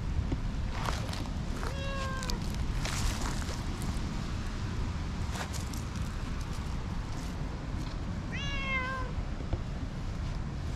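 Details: Affectionate tortoiseshell cat, roused from a nap in a tree, rubbing insistently; two clear, bright meows, each about half a second long and spaced roughly six seconds apart, over a steady low outdoor rumble.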